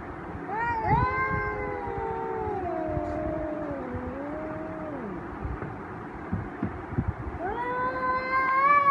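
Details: Two male cats face off angrily, one holding a long moaning yowl that slowly wavers and sinks before breaking off. After a short pause a rising, strained howl starts again and grows louder.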